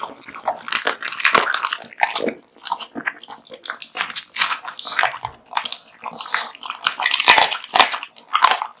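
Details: Kotetsu, a male American Bully house dog, chomps raw meat and bone in steady bursts of crunching and wet chewing, each flurry lasting about a second before a short gap.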